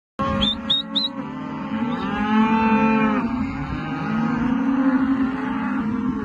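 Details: Rustic Angus, Brangus and Hereford calves lowing: drawn-out harmonic moos overlapping, one long call swelling then falling around two to three seconds, another starting near four seconds, with a few short high chirps at the start.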